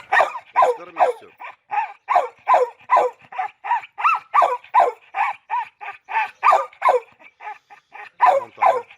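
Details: Red nose pit bull Oscar, during a mating meeting with the chocolate red nose Müdür, barks in a fast, steady run of sharp, mid-pitched barks, roughly two or three each second, continuing without pause, with little background noise.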